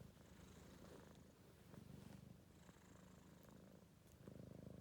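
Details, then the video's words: A four-month-old Maine Coon kitten, tired after running around, snores indoors while asleep: a soft, steady low rumbling breath cycle, repeated without pause. "Кот храпит"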